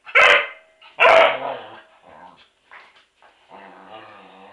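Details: Toff, a Border Collie, confronts a washing machine with two loud, harsh barks about a second apart, followed by softer growly, whining sounds and a low ongoing hum.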